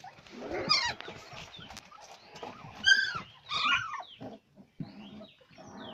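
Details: Labrador retriever puppies, several together, giving overlapping high whimpers and short yelps, some sliding down in pitch, in quick irregular bursts with brief quiet gaps.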